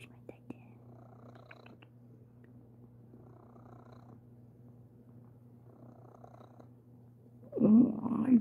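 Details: Sir Titan the cat purrs while being cuddly: a soft, steady low rumble runs through most of the recording, quiet and even, before a person speaks softly close by near the end.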